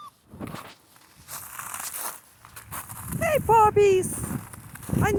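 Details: Central Asian Shepherd Dog puppies named Mansur and Merbet crying outside on a cold, windy day: a few loud, drawn-out falling whines come in quick succession near the end, with rustling, footsteps and wind noise before them.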